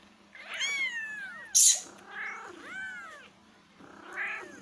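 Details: Kittens meowing loudly: drawn-out, rising-then-falling mews in quick succession, with one sharp click or knock between calls and a faint steady hum beneath.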